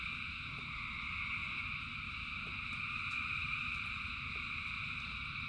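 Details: Thousands of frogs singing in the rain, a dense unbroken chorus of trilling voices in steady high bands, with a low rumble of rain beneath and faint clicks throughout.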